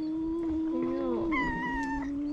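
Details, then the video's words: Stray male cat at the seaside in Istanbul, one of two rivals that dislike each other, giving a steady sustained howl that wavers and bends upward near the end, an unbroken tonal yowl. "Two male cats meowing and hissing each other"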